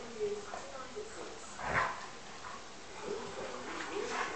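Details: Two Alaskan Malamutes playfighting, trading short grumbling yips and whines with one louder bark-like burst.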